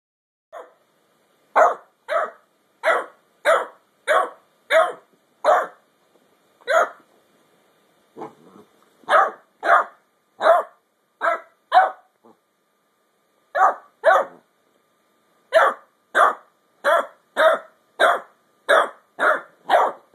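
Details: Ten-week-old basset hound puppy named Mildred barking at her big sister Beatrix, wanting her bone: a long run of sharp, high yappy barks, roughly one every half second, broken by short pauses and a few softer grumbles.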